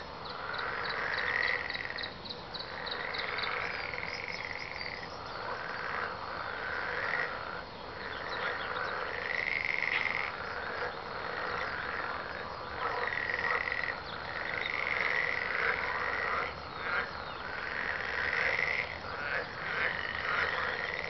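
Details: A frog chorus, many overlapping croaks in rattling bursts roughly every two seconds, with a brief ticking insect-like trill early on.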